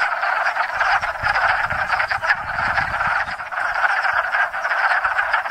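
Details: Dense spring breeding chorus of hundreds of wood frogs gathered at a small woodland pond in Enosburgh, the first frogs to call each year; overlapping low clucking, duck-like croaks merge into a continuous rattling din with no pauses.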